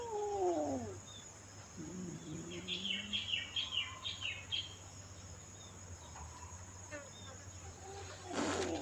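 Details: Lone kitten that turned up by itself at Wat Pong Chai temple in Chae Hom, Lampang, Thailand, and became a temple cat; one falling, wavering mew under a second long, then a short low sound and scattered high bird chirps.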